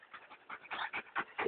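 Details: Dog at play, recorded 19 June 2011 at B&B Torricella, panting in quick breathy bursts, about six rough, noisy puffs over under two seconds, with no clear voice over it.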